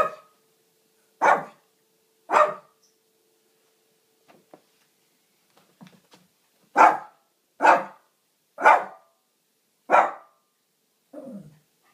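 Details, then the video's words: Barking Shih Tzu wanting a drink of water, indoors: two loud barks, a pause with soft clicks and small noises, then a run of five quick barks, the last one trailing off into a lower whine-like sound. "Barking Shit....zu!"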